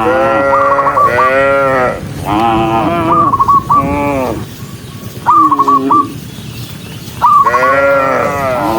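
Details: Dozens of tame cattle walking along, lowing in long, drawn-out moos that rise and fall, several overlapping, with short bursts of quick high chirps repeated between them.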